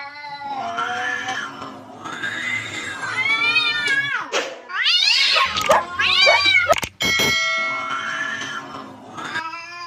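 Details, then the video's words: Cats in a fight trade continuous overlapping yowls, wavering moans that rise and fall, broken midway by harsh shrieking bursts before the drawn-out moaning resumes. "Fierce cat fight moments with scary sounds"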